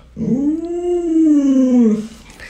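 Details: Luoluo, a pet Alaskan Malamute, responds while its owner is sick in bed. It gives one smooth, drawn-out howl of nearly two seconds that swells up, holds a steady pitch and slides down at the end, rich in overtones.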